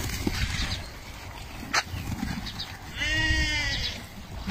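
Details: A Meatmaster sheep from a lot of the breed gives one short, strained, nasal bleat near the end of the recording, preceded by scattered rustling and clicks in the pen.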